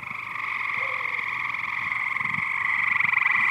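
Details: Many frogs invading a backyard swimming pool, calling loudly together: a dense, continuous buzzy chorus with two steady bands and rapid pulsing, growing slightly louder toward the end.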